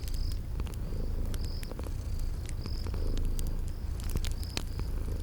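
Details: Sleeping cats in cozy spring garden ambience, purring low and continuous while fire crackles snap irregularly and thin high chirps sound at intervals overhead.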